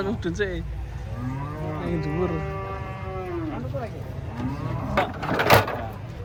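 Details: Unloading cattle from a truck, one animal lets out a long, resonant moo of over two seconds that bends downward at the end, followed by softer grunting calls and a sharp clatter.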